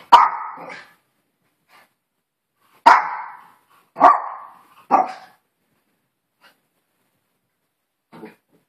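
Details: Maltese poodle barking indoors: four sharp, loud barks, each with a brief trailing fall-off, the first three spaced one to two seconds apart, followed by a faint short yap near the end.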